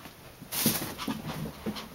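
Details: Brutus, a hyper Chihuahua full of energy at night, excitedly chasing in play indoors: a few short breathy puffs of panting, the loudest near the start and others spaced irregularly, over a soft steady background hiss.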